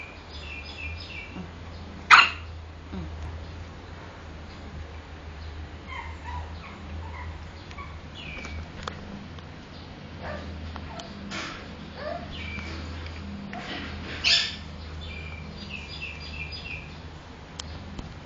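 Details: A two-month-old female pug puppy, born 30 January 2010, lets out two short, sharp yips several seconds apart, with thin, high squeaky whimpers between them, over a steady low hum.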